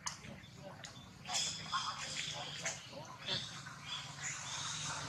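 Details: Infant monkey named Rex crying loudly while his mother Rose repeatedly pushes him away during breastfeeding; shrill, wavering high cries in bursts over broadband clicks and rustling, with low background hum.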